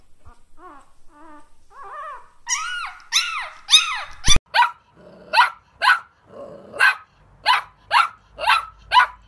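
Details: Puppies barking: soft squeaky whines at first, building into loud, shrill arched barks, then a steady series of about a dozen sharp barks repeated roughly every half second, with a brief clatter midway.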